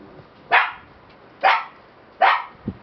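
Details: Black Shiba Inu puppies, siblings, giving three sharp, high yipping barks about a second apart, each a short bright burst, followed by a softer low sound at the end.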